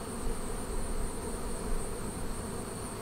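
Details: Bees of a Flow Hive colony buzz as honey is extracted frame by frame for the first time; a dense, continuous low drone swells slightly and subsides, ending with a brief click.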